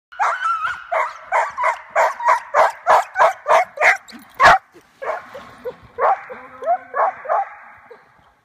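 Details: At the start of sled dog training with a scooter, a purebred German Shorthaired Pointer yelps rapidly and eagerly, then breaks into high, wavering whines.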